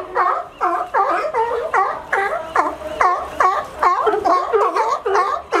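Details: Several sea lions in California that have learned to climb a fence to reach a sunny resting dock. Loud, rough, rising-and-falling barks repeat quickly, roughly two or three each second, overlapping in a busy chorus.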